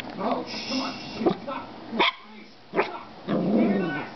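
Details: Female pet dog barking at herself indoors: three sharp, short barks spaced under a second apart, with human voices talking in the gaps between them.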